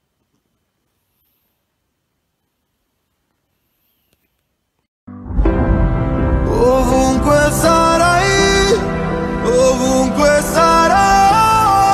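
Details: Silence for five seconds, then loud instrumental music with a gliding melody line; no animal voice.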